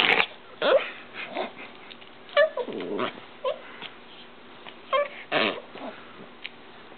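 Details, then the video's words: Pet dog GIR during routine indoor play with its owner: short sharp yelps mixed with rough, growly bursts, scattered unevenly, with soft rustling and handling noises in a small room. "My Dog GIR"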